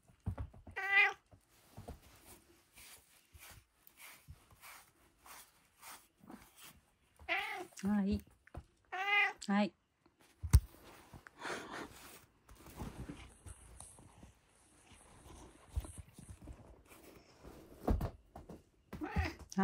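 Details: Domestic cat eating dinner indoors gives several short, clear meows spread across the clip, while a person keeps saying "hai" in the background; chewing and handling noises fill the gaps.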